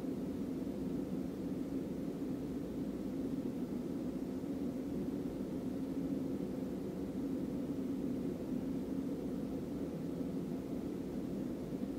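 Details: Steady low rumbling hum like distant engine or traffic noise, with no animal sounds.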